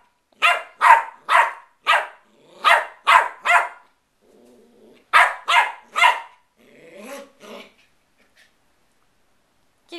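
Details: Young West Highland White Terrier playing, barking in two quick bursts of high, snappy yaps, several per second, separated by a short pause with a faint low voice, then a few scratchier trailing yips.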